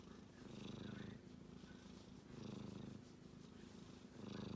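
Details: Kitten asleep and snoring: three rounded swells of low, purring rumble, each breath lasting over a second, separated by brief quieter pauses.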